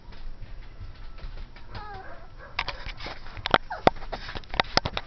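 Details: Ivory, a 12-week-old cream and white female Pomeranian puppy, plays indoors and reacts to a Dora the Explorer doll. After quiet rustling come sharp, high yaps in a quick irregular burst near the end.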